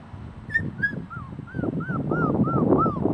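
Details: Celosia's puppies whimpering: a run of thin, high squeaks, each arching up then falling, about three per second, over soft low shuffling and rustling.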